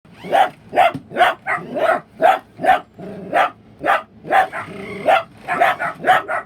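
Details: Pet dachshund barking at toy Super Mario and Luigi remote-control cars, with a second dachshund also barking from hiding; a rapid run of sharp, loud barks, about fifteen in six seconds, in uneven bursts.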